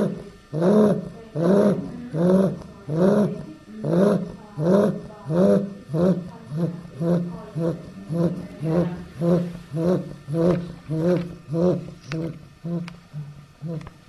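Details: Eight-week-old female Chow Chow puppy snoring as she sleeps; steady rhythmic snores roughly every two-thirds of a second, each a low, harmonic, rasping rumble rising and fading, the breaths slightly softer and less even toward the end.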